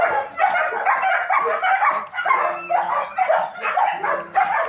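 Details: A group of German Shepherds at a training academy bark rapidly and unevenly, roughly two barks a second, with a low steady whining tone showing up briefly midway.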